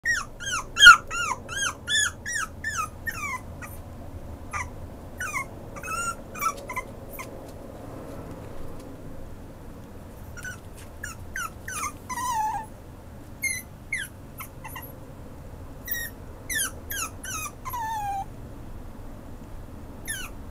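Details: Maltipoo whimpering in a rapid series of short, high, downward-sliding whines, bursts of several notes separated by brief quiet gaps, with a low steady hum underneath.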